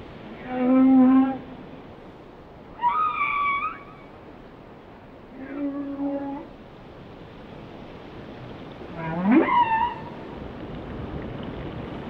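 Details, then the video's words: Whale song with a series of separate tonal units: a steady low moan, a harmonic chord-like wail, a wavering mid-pitched note and a sharp upward-sweeping cry, each lasting about a second with quiet gaps between. "Song of the Whales"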